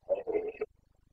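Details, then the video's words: Rutting Carpathian stag, a red deer in the Bucovina mountains, breeding season 2022: one short roar in two or three gruff pulses, raspy and broken, ending abruptly, with quiet low rhythmic ticking behind. "Boncănit / Carpathian stag Breeding season"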